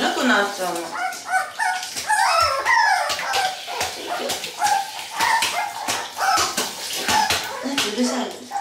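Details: Toy Poodle puppies, one of two at their first bath, panicking: high, bending whines and short yelps come in quick bursts every second or two, with a person talking and water splashing around them.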